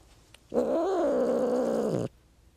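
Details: Cat makes one steady, rough, drawn-out growling yowl for about one and a half seconds, slightly wavering in pitch and dropping at the end. Nothing else is heard.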